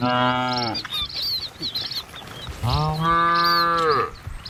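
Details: Village cattle herded along a rural road past green trees and wide rice fields; two deep, drawn-out moos about two seconds apart, their tone bending slightly upward, with bird chirps between them.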